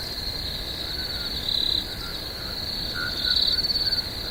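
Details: Crickets at night in a swamp: a steady, high-pitched continuous trill that swells into louder pulsing bursts around the middle and near the end, with fainter, lower chirping notes beneath and no other clear sounds.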